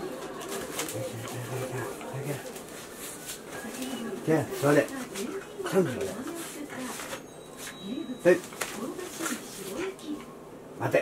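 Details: Playful Shiba Inu Chie, excited during play time after a long break, recorded 3 March 2020: repeated swooping, yodel-like moans and whines in bursts, with occasional louder yelps and thuds.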